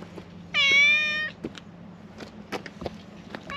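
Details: A white cat that follows people around lets out a single drawn-out meow, steady in pitch and slightly fading at the end, then quiet taps and small knocks.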